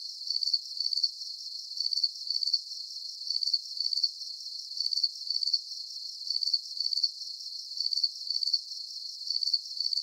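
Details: Steady cricket chirping for deep sleep relaxation. Shrill, high-pitched pulsed bursts come in twos at an even rhythm, roughly forty per minute, over a thin hiss. No birds, voices or low sounds.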